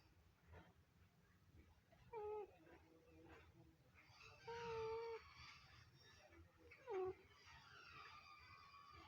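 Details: A Scottish Fold cat snoring in its sleep gives soft whistled nasal tones, each about half a second to a second long, roughly every two to three seconds, faint against a low indoor hum.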